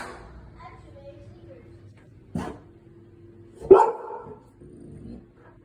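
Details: Cane Corso at home reacting to strange noises from someone working in the garage: one deep, short bark, then a louder, harsher bark just over a second later, with low household background and faint voices.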